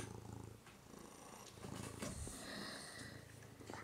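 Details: Pet cat named Woody purring indoors while being handled; low, continuous rumbling purr with rhythmic pulses, overlaid by rustling and scratchy contact noises.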